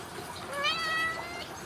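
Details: Ragdoll kitten from a home cattery in central Kansas, raised without cages, giving one clear, drawn-out meow that rises and then levels off, with steady harmonics. A quiet hiss of room noise sits underneath.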